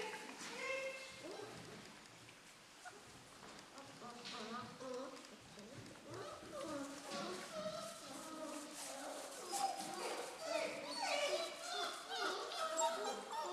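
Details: Litter of four-week-old German Shorthaired Pointer puppies from the dam Amy, many overlapping high whines and yelps rising and falling together, a busy continuous chorus with scattered thumps throughout.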